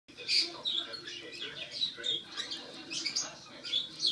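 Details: Rocky, a rescued six-week-old baby squirrel still fed formula every four hours, tries a carrot for the first time; high thin squeaks come in quick clusters, some sharp and rising, others softer, across the whole stretch.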